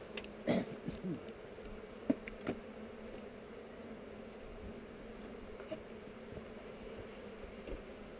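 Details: Honey bees on heather droning during a hive inspection filmed with a GoPro; a steady low buzz broken by several sharp taps and clicks from handling early on.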